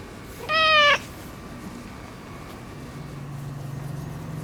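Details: Boss orange tabby tom, neutered and now more clingy and affectionate, gives one short clear harmonic meow; afterwards only a faint low hum remains in the background.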